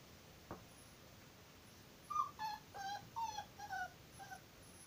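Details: Charles, a Moscow Watchdog, whimpers on 15 April 2019 in a run of about six soft, tonal whines spaced roughly half a second apart. Some whines dip and others rise slightly, over a steady low hiss, after a single faint click.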